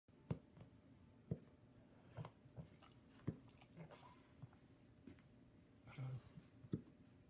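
English Bulldog puppies hiccup with soft, low thumps roughly once a second, with faint clicks between.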